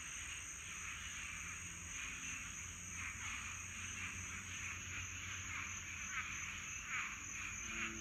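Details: A dense chorus of swamp frogs on a Florida summer night, described as a frog orgy: many overlapping raspy calls merging into a continuous pulsing din.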